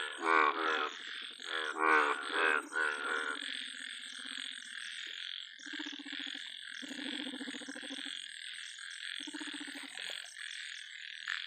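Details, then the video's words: Large yellow frog croaking loudly: three strong raspy pulsed croaks in the first three seconds, then softer pulsed croaks at intervals, all against a constant high, shrill chorus in the background. "yellow BIG frog"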